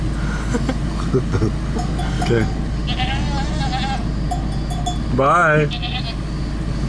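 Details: A goat in a small town on a Greek island gives a brief, wavering, quavering bleat amid people talking and laughing.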